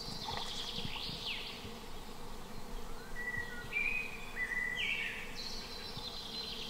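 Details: Cicadas in rainforest near a stone cave where a lone camper builds a bed. A high, hissing buzz swells at the start and returns steadily toward the end, with thin whistled tones in the middle and a low rumbling background.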